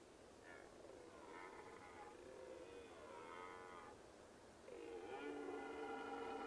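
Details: Red deer; rutting roar; rutting stag's roar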